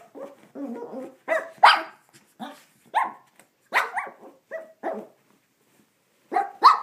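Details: Indoor recording of a Shih Tzu named Rusty attacking his bath towel after a bath: a string of gruff growling barks, roughly one every half second, with brief quiet gaps and a person's voice.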